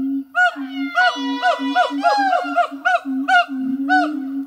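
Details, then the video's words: Two siamang gibbons in a French zoo singing one hot summer morning: low booms alternate with bright barking whoops, while a long overlapping rising wail weaves through the rhythmic pattern. "Singing Siamang Gibbons"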